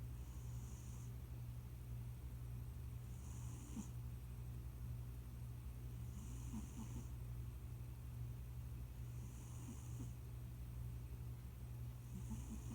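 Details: A heavy-set male cat, newly settled into a family home, snoring in his sleep. Hissing breath snores repeat about every three seconds, regular and soft, over a constant low indoor hum.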